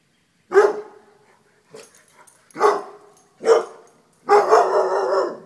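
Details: Dogs barking as they run from a deer mount: loud broadband barks at irregular intervals, four bursts in quick succession with the last longer and rougher, a few faint clicks between them.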